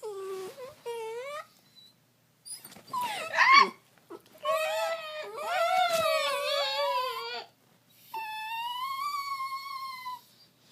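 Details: Trixie, a pet cat known for signature weird noises, lets out a run of loud wailing, moaning yowls indoors, wavering and rising in pitch across several long cries with short gaps, some strained and rough.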